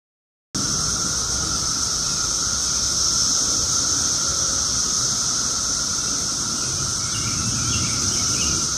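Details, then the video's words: Loud daytime chorus of Brood X 17-year cicadas, Chantilly, Virginia, 2021: after a half-second of silence, an unbroken shrill high hiss sits over a steady lower drone, both holding evenly throughout. "2021 Brood X cicadas"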